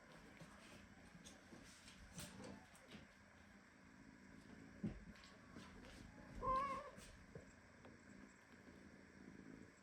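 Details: Indignant at being hugged too tightly by its mother Ginny, a premature kitten utters a single brief, high meow midway through, amid soft shuffling and a steady low hum.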